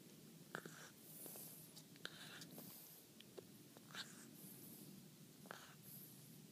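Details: A French Bulldog chewing his first bully stick, with sharp crunching clicks and soft gnawing in a quiet room.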